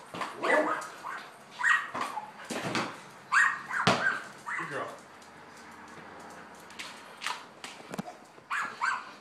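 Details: Border collie Lady at play with a ball in a garage, letting out bursts of high excited whines and yelps between ball thuds, with a quieter pause midway before more yips.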